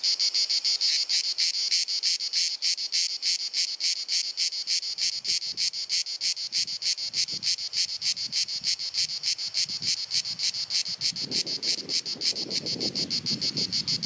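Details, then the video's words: Croatian summer cicadas in Dalmatia on a hot sunny afternoon, compact camera recording: penetrating pulsed buzzing chirr at roughly three beats per second, with low rumbling, rustling noise rising toward the end. "Cicada Singing ☀️ Pjesma Cvrčka ☀️ Chant des Cigales ☀️ Zikaden Geräusche ☀️ アブラゼミ☀️Cigarra Cantando"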